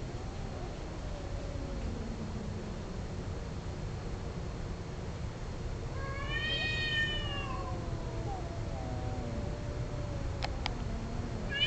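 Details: Domestic cats in a mating encounter: low drawn moans weaving through most of the recording, one sharp rising-falling yowl near six seconds, a couple of brief clicks near ten seconds, steady hum underneath.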